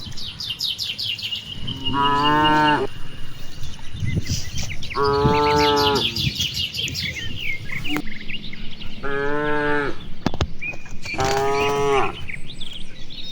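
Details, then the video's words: Dozens of cattle grazing and playing across wide rice fields on a clear afternoon, calling back and forth: four long, deep, harmonic moos spaced a few seconds apart, with bright chirping birds from distant trees throughout. "suara puluhan sapi lucu"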